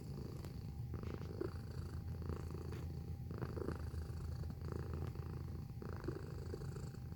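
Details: A cat gives a strong, low, rumbling purr heard up close, the sound throbbing in regular breath cycles of about a second, with a faint constant hum in the background.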